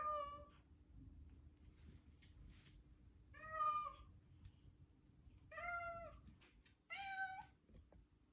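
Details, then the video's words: A domestic cat, possibly a kitten, calls while playing with a toy indoors: four drawn-out, tonal meows with rich harmonics, each about half a second long and spaced a second or two apart, over a faint steady hum. "Such a funny noise"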